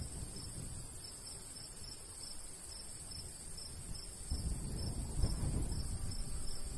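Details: Cricket in summertime countryside by a golden wheat field, giving high, rapid chirps about three per second that blur together in places, while a light breeze roars low and swells near the end.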